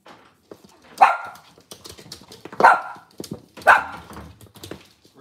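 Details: Cavalier King Charles Spaniel in a kitchen on a cloudy Monday morning, among resting mothers and puppies: three short, ringing barks spaced roughly a second apart over a background of clatter and household noise.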